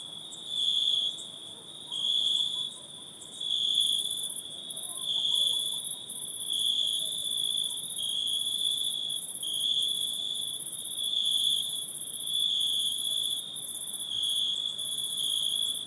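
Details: Insects in a forest at night trill steadily, a shrill, high chorus pulsing in waves over a faint buzzing layer.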